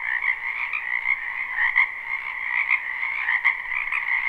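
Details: Frogs of a spring wetland behind a home calling en masse in a live recording; constant buzzy trill layered with louder individual croaks popping out roughly every half second.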